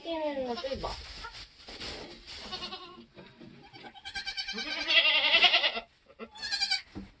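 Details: Nigerian Dwarf goat giving birth on a homestead during kidding season; wavering, falling bleats open the recording, then a louder strained bleat comes about halfway through, with people talking close by.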